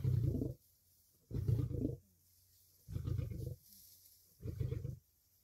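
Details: Lions feeding on a kill, with lionesses and cubs, roaring aggressively as they fight for dominance over the food: four deep, gravelly, explosive snarl-roars, each about half a second long, spaced roughly every one and a half seconds.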